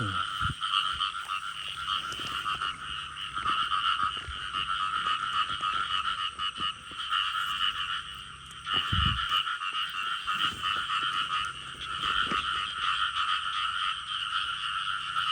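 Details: Frogs calling outdoors in a dense steady chorus, with bands of buzzy sound near mid and high pitch running throughout, plus scattered clicks and low thumps.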